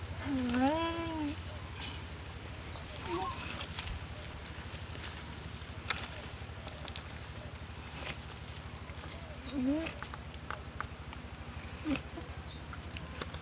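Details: Bitten and paralysed goat under attack from a Komodo dragon in a dry riverbed at Komodo Village; a loud trembling bleat opens, a shorter quavering bleat follows later, with low background hum and scattered clicks and rustles.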